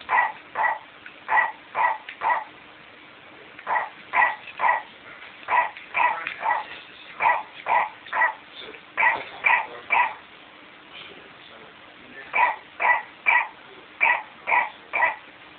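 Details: Pet dog PaddyMac goes after a McDonald's Clifford the Big Red Dog toy, barking in rapid bursts of two or three sharp, mid-pitched woofs, brief pauses between volleys, around two barks per second throughout.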